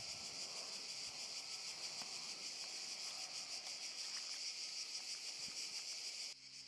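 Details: Cicadas chorusing in a park in Zadar, Croatia, August 2014: continuous loud shrill buzz with a slight pulsing texture, cutting off abruptly near the end.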